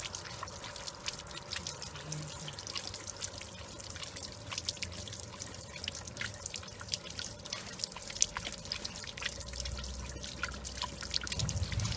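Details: Water drips and trickles in quick irregular ticks over a faint steady hum, with no animal voice.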